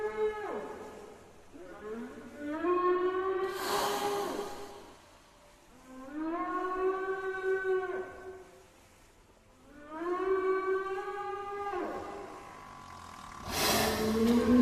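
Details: Whale in the sea calling with long upswept tonal moans rich in overtones, repeated in three main phrases about four seconds apart, each followed by a brief airy whoosh.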